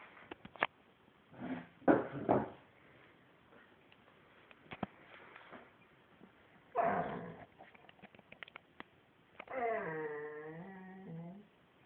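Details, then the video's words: Shamsa, a female dog shown 'talking', makes scattered grumbling, moaning bursts separated by quiet stretches with faint clicks, ending in a drawn-out whine with rich, stacked harmonics that bends slightly in pitch. "Shamsa - talking dog"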